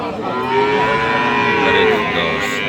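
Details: Friesian dairy cows at Ambari market, Bangladesh; a long harmonic moo rising and falling over about two seconds amid steady market noise and murmured voices.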